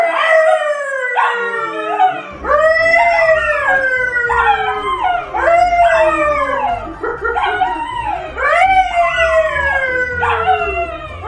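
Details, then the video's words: Several dogs howling together, long drawn-out wavering howls that start high and slide downward, overlapping voices rising again every few seconds, with short yips mixed in throughout. "Howling dogs"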